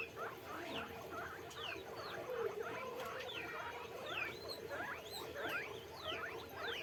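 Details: Guinea pig. A chorus of guinea pigs gives a steady run of high, thin squeaks, many sliding sharply upward. The calls come from several animals at once, overlapping with a soft background hum and some rustling.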